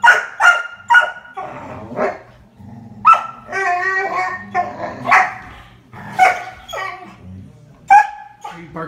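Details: A growing female Dalmatian on a couch, barking at a male Dalmatian while playing and jumping around him: sharp, clipped barks repeated at uneven intervals, with human voices talking and laughing alongside.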